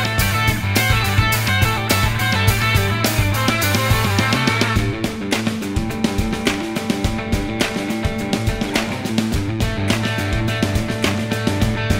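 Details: Steady rock music with driving drums and guitar fills the whole stretch, with no barking or other animal sound rising above the band.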